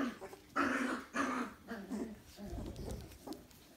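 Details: Dalmatian puppies making two loud, rough growling yelps about half a second apart, followed by quieter grumbling whimpers that fade out, heard in a small room.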